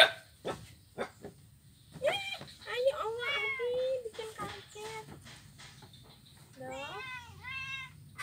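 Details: Blind kitten on an ironwood bridge, Jalan Kolonel Sugiono, Kuala Kapuas, Central Kalimantan, 25 November 2019; squeaky, bending cries in the middle, then two clear rising-falling meows near the end, with light knocks.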